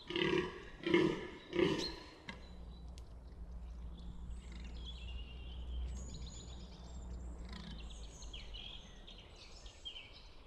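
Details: Fallow deer buck at Bolderwood in the New Forest gives three deep, rough, belching groans roughly 0.7 seconds apart in the opening two seconds; afterwards only small birds chirp and twitter faintly over a low rumble of background noise.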